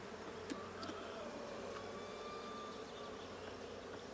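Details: Honey bee colony in the Blue hive on 20 June 2022, inspected during a hive check: steady buzzing drone with sharp clicks early on and a thin tonal whine running across the middle.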